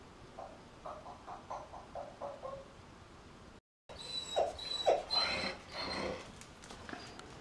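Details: Puppies calling indoors: a quiet run of short, mid-pitched squeaks about twice a second, a brief gap, then louder overlapping whines and yelps with some rustling.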